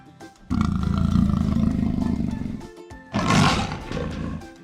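A leopard gives a deep, rumbling roar in two throaty bursts over background music.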